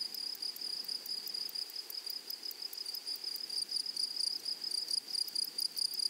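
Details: A shrill, even buzz from grasshoppers in a flowery meadow, broken into rapid pulses with sharp ticks above it. Soft background hiss, no other clear animals.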